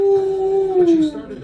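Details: An Alaskan Malamute gives a steady, drawn-out howl that slides downward at the end while watching a dog on the TV show Lucky Dog, with the TV audio playing, as if trying to talk to her.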